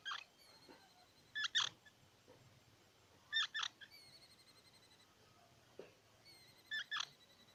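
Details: Squirrel sounding pairs of shrill squeaky chirps every couple of seconds over a low steady hiss, with a few fainter clicks in between.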